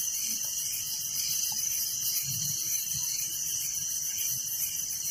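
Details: Steady nocturnal cricket chirping in a village, high and unbroken, with evenly pulsing trills layered over a soft low background rumble.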